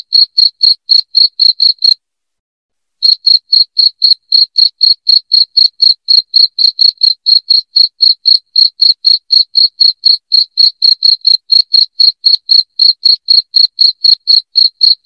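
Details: Loud cricket chirping, offered as a sound to drive rats out of the house: short sharp high chirps repeated about four per second in a steady pulse, one brief pause near two seconds, no other sounds.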